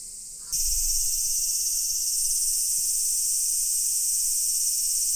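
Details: A loud cicada chorus at Daichuji temple, Ōhira town, swells in abruptly after a half-second thump, then holds as an intense, even, high-pitched drone to the end.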